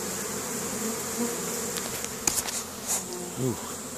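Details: Honey bees bringing pollen home during spring foraging, Caribou, Nova Scotia, May 2015; a steady hive drone broken by a few sharp clicks and knocks, with a short rising chirp-like tone near the end.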